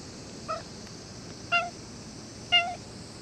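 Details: Cat giving three short, clear mews about a second apart, each a little louder than the last, with a steady hiss in the background.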